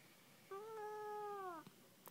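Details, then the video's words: Chatty house cat, reportedly not liking penguins, answers its owner with a long even meow of about one second that sags downward at the end; soft indoor background, owner's voice before and after. "TALKING CUTE KITTY doesnt like penguins"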